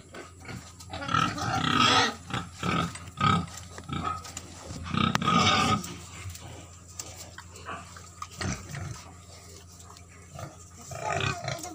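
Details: At a white pig farm in Keonjhar, Odisha, pigs let out two loud, harsh squealing bursts in the first six seconds. Softer scattered grunts and knocks follow over steady barn noise.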